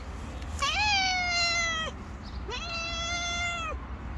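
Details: Two loud, clear meows from a hungry stray cat on the street, each rising sharply then holding a long level tone for about a second, with a low traffic-like rumble beneath.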